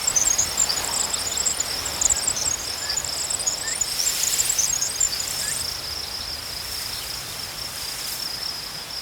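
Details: Crickets chirping outdoors, a constant high shrill band overlaid with scattered very high, quick twittering chirps in the first half, fading to a smooth steady trill.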